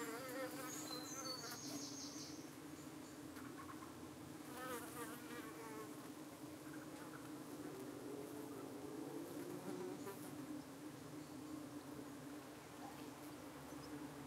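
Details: Evening at a UK beehive under attack by possible parasitic flies: a continuous low honey bee drone with stacked overtones, plus gliding, wavering higher buzzes of insects darting past, strongest near the middle.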